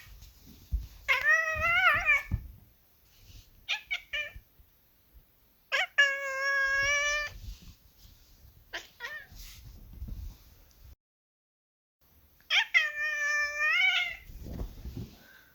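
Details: Kitten meowing repeatedly: several long, bright meows that rise and then slide down, interspersed with short chirpy mews and soft shuffling noises, with a brief silent gap before a final long meow.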